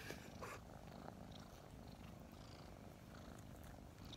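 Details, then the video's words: Low, steady purring from two kittens around five months old snuggled together in the morning, with a few faint breathy puffs early on and quiet rustling. "Snuggling two purring kittens"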